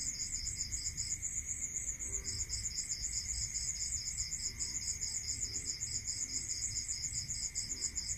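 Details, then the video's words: Rural night chorus of crickets: quick, evenly spaced high pulses running almost unbroken after a short early gap, with a continuous shrill hiss above and a steady lower hum beneath. "Listening to Cricket Sound"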